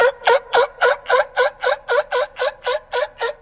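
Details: Sea lion barks, an animal also called sea dog because it seems to bark, noisy and very sociable: a rapid, even train of harsh, harmonic barks, about four each second, throughout.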